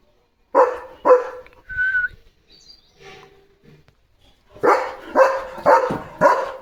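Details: Evening barking duty by a German Shepherd guarding his area on a farm: two hard barks, a brief whistled tone and soft sounds, then a rapid run of five loud, harsh barks.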